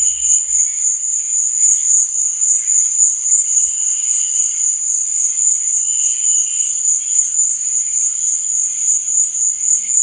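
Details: Crickets sing through the night with a constant shrill, high trill, accompanied by softer, lower chirping phrases repeated at intervals of a few seconds; a faint low thump sounds at the very start.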